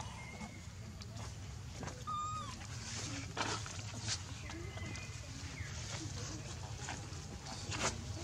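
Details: Hungry baby monkey named Leo crying to its mother for milk: thin, whistled tonal cries, a few short high notes scattered across several seconds, some bending downward, over a low steady hum and faint background voices.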